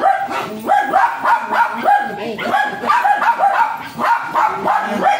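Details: Excited yapping from a Japanese Spitz dog used for stud service in Aringay, La Union: clipped, high barks in regular clusters, each with a quick downward bend, continuing without a break.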